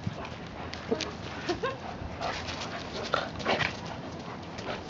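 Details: Two dogs at play, Achilles, a 12-month-old German Shepherd, and Hilo, a 14-month-old Shiba Inu: brief soft yips and short whimpering squeaks mixed with scuffling bursts over a steady background hiss.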